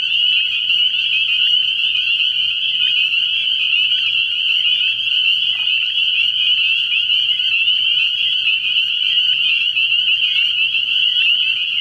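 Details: Night chorus of spring peepers at a frog pond in early spring, countless high piping calls overlapping into a continuous shrill ringing, with a low steady drone faintly in the background.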